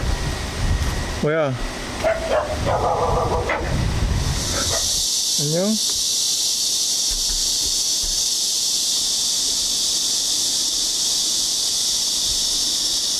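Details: A stray cat, one said to have grown resigned to human teasing, gives two short wavering meows about four seconds apart, each rising then falling. Voices and rustling come before, and a steady hiss follows.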